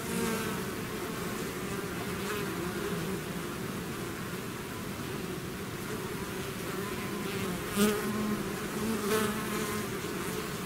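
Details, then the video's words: Honeybee swarm out of its hive, a dense continuous buzzing hum with steady low drone bands and brief louder passes of individual bees near the microphone around eight and nine seconds. "bees therapy swarm natural buzzing sound"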